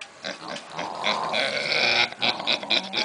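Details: Pigs snoring at a stable, loud enough to be heard from a nearby horse arena; harsh, rasping, noisy breaths in quick succession, swelling in loudness mid-clip, then choppy bursts, with faint voices nearby.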